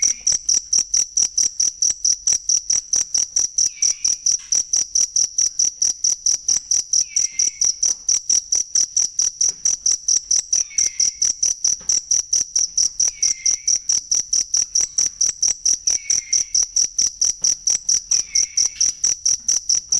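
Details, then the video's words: Genuine cricket sound for masteran training of songbirds: bright, shrill chirps pulsing evenly several times a second, while a soft falling whistle recurs roughly every three seconds in the background. "ASLI SUARA JANGKRIK BUAT MASTERAN BURUNG"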